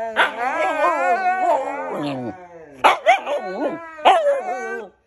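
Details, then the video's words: Pair of husky brothers loudly trading vocalizations, seemingly arguing; long, wavering, whiny howls sweep up and down in pitch, then three short emphatic bursts of yowling follow after a brief lull. "dogs argue over who’s turn it is to talk!!"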